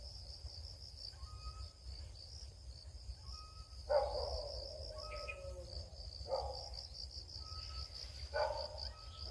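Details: Crickets chirp in rapid high pulses without pause as someone searches for them; louder rustling and scraping bursts come at roughly four, six and eight seconds, with faint whistled tones between.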